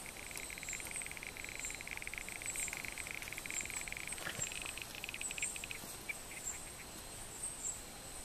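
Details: Two male Barrington's tree frogs wrestling in a fight over a calling site, one giving a soft purring: rapid trains of pulses at a steady mid pitch, repeated over several seconds, over a constant high insect hiss.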